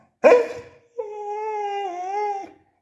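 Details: Beagle arguing with its owner for a calcium bone indoors: one short sharp bark, then a drawn-out tonal whine lasting about one and a half seconds, wavering slightly and dipping near the end.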